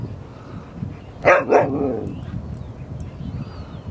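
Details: At Seal Point Dog Park by San Francisco Bay on March 5, 2015, Rosy and Rocky at play; two short, loud barks in quick succession, then low outdoor murmur and faint distant sounds.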